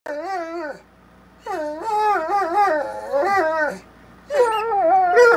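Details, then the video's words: Two Bloodhounds, a male and a female, trade long, wavering howls and whimpering moans back and forth in a friendly, drawn-out "conversation". "Two Bloodhounds Having a Friendly Conversation"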